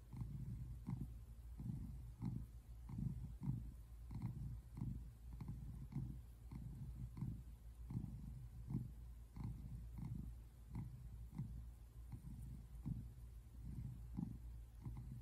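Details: An adult male tabby American Shorthair cat, adopted in spring 2017, purrs while relaxing on a couch in South Central Pennsylvania, USA, on February 8, 2024. The purr is a low rumble throbbing in steady, rhythmic pulses.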